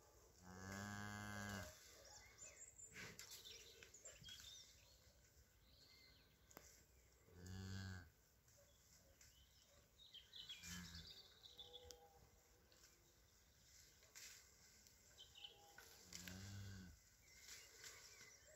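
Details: Belted Galloway × Shorthorn hybrid calf, up and suckling, gives three low harmonic moos, each lasting about a second, at the start, middle and end, separated by rustling, shuffling and handling noises.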